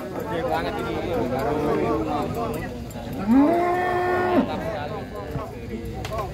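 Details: Huge cattle unloaded from a truck in Situbondo, Indonesia, where one bull rages; amid crowd chatter and music, a single loud moo rises then holds level for about a second before cutting off.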